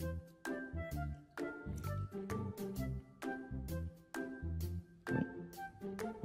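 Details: Bouncy, cheerful instrumental music with a steady plucked beat and tinkling high notes plays throughout, with no animal voice.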